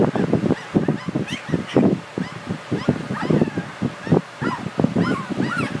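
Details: Several Border Collie puppies calling together, a dense jumble of brief squeaks, yips and whiny squeals that rise and fall, overlapping with barely any gaps.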